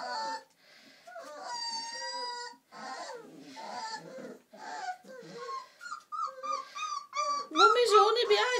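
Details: Old English Sheepdog puppies, four weeks old, whining in thin drawn-out tones and short squeaks, broken by gaps, with human voices talking among the calls and a louder burst of squealing at the end.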